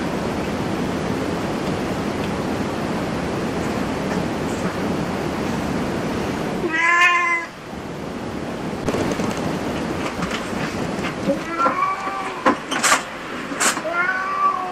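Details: Indoor cat cafe scene: one loud wavering meow near seven seconds stands out over constant hiss, then several softer arched mews and sharp clicks follow toward the end.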